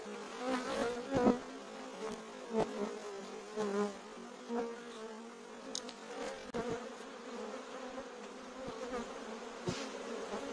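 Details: Swarm of bees filling a courtyard, a continuous droning hum that rises and falls slightly in loudness, with scattered clicks and knocks over the buzzing.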